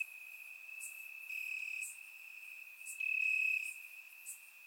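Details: Warm summer night in Bulgaria with crickets calling from the grass: a constant shrill trill, with a louder, pure-toned burst of chirping around the third second and faint clicks above.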